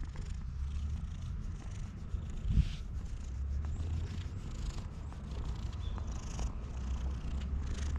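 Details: Stray cat purring steadily while being stroked, in a friendly mood before it later begins attacking; a continuous low rumbling purr runs through the whole stretch, with a brief louder rustle near the middle.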